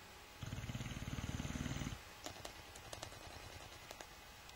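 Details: Sleeping Boxer dog snoring with its lips flapping: a low, rapid fluttering rattle lasting about one and a half seconds, followed by faint clicks and rustles.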